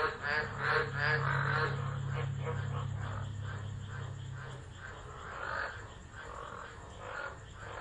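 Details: Tropical frogs calling during a tropical low storm at Driver, Northern Territory, Australia, on 13 December 2013, captured by an unattended phone. Soft rhythmic croaking pulses repeat quickly over a steady low rumbling hum during the first half.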